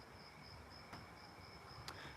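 Crickets trill steadily at a high, thin pitch, with two faint clicks in the background.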